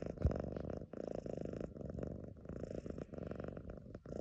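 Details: A lilac modern lynx Balinese kitten purrs steadily, a low rumbling drone pulsing with each breath.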